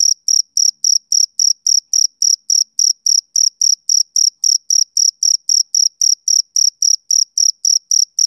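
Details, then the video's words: Shrill, even chirping from a male cricket: thin, high pulses of equal loudness repeat about three or four times each second, with silence between them and no other sound. "Cricket Chirping Sound Effect"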